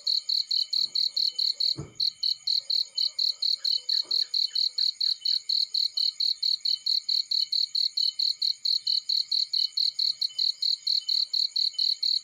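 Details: Field cricket sound next to a fireplace: a fast, even train of high chirps about four to five a second, broken once by a sharp pop of burning wood and faint scattered crackling.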